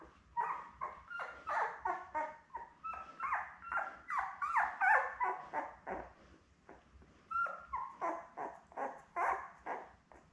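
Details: Labrador puppies born May 24, 2021, filmed on June 4 beside their mother Belle, keep up a steady chatter of short high squeals and whines, several pups overlapping, with a brief lull near six seconds.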